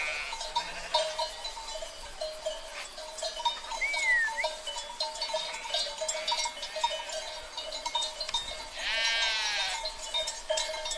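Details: Sheep herd: a short bleat at the opening, a brief rising whistle-like note midway, then a long, shaky, harmonic bleat near the end, all over a steady bell-like ringing.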